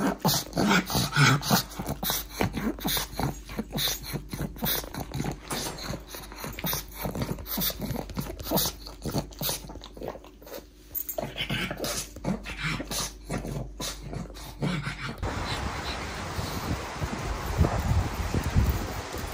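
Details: Pet pug Pangpang snorting rapidly, dense repeated nasal puffs about three per second for most of the stretch, then a rougher continuous snuffling breath toward the end.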